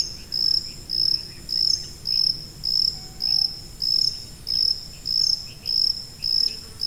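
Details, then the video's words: Shrill, high cricket chirps, a masking sound for tinnitus, pulsing regularly about every 0.6 seconds against a quiet, faintly hissing background. "고주파_귀뚜라미3 / High-Frequency_Cricket3"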